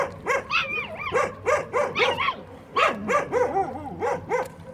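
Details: Puppies at a building site yelp while eating, giving a dense string of short, high, arching yips roughly every third of a second, overlapping one another, with faint low hum underneath.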